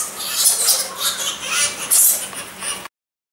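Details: Egyptian fruit bats giving shrill, high-pitched squeaking chatter in quick irregular bursts, several sharp peaks rising above a steady hiss, then stopping abruptly into silence near the end.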